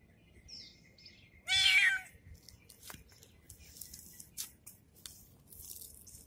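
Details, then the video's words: Kitten noisy after treatment gives one loud strained meow, followed by scattered clicks, taps and soft rustling indoors. "Kitten Become Noisy, After Treatment !"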